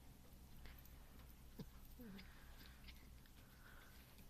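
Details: Domestic cat named Ronan growling while eating a piece of cheese, directed at another cat, Muff, even after she has left; a low, steady rumble runs throughout, broken by chewing clicks and a brief falling squeak near the middle.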